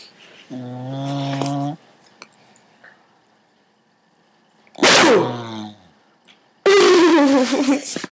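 A Cocker Spaniel snores in loud, rough, droning bursts with quiet gaps between breaths.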